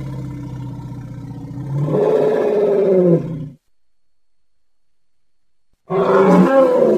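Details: Young elephant at play: a low droning rumble rises into a louder, harsh, wavering call lasting about a second, then silence, then another loud, rough roaring call at the end.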